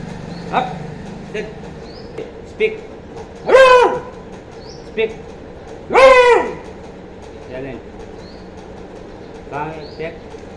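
A Beagle puppy gives two long, high, arching barks between a person's short spoken commands.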